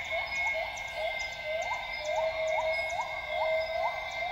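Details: Northern grey gibbons singing at dawn in lowland rainforest at Tawau Hills Park, Sabah, Borneo: a rapid run of short rising whoops, about two per second, over a steady high insect drone.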